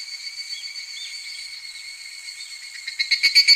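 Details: Evening cicada singing in midsummer: a steady, shrill, high ringing tone with faint wavering that swells into loud, rapid, throbbing pulses in the final half second.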